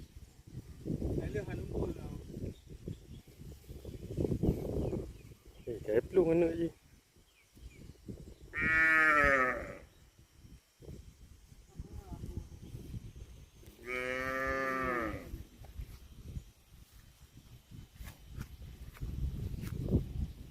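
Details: Cows calling with two long, drawn-out moos about five seconds apart, each rich in harmonics with a rising then falling pitch, set among rustling, handling noise and low rumbling sounds.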